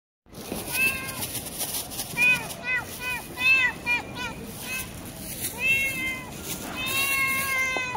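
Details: A talkative tuxedo cat meowing over and over: short, rising-falling, whiny mews in quick bursts, some clustered closely together, with a longer drawn-out meow near the end and faint background noise.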